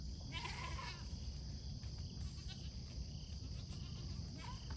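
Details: A Pygmy goat on a farm in Knoxville, Tennessee, gives a short, wavering bleat on a foggy morning, with a second brief bleat near the end.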